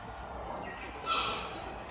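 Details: Cheetah cub of the female Dura at Tama Zoological Park, Japan: a single short, clear, high chirp lasting a fraction of a second, preceded by a fainter rising note, over a low murmur of visitors.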